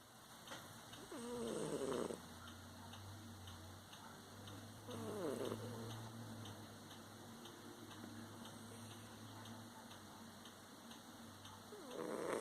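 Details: Sleeping cats snoring softly: a low steady rumble with faint breathy swells every few seconds, the strongest near the start, middle and end, over quiet hiss.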